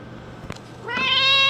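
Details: Domestic cat meowing at the door while it rains hard outside; after a soft tap, one long rising meow swells and holds, clear and strongly harmonic, with a faint steady hum beneath.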